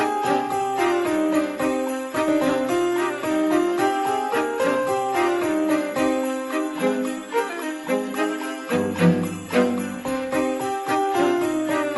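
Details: Cheerful jingle-bell music plays throughout, with no animal sounds heard.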